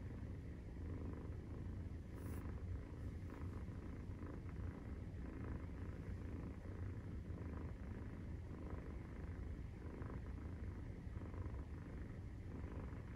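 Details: Nursing-time purr of a domestic Maine Coon cat, kittens aged 43 days: deep unbroken rumbling, with a brief sharp tick early on.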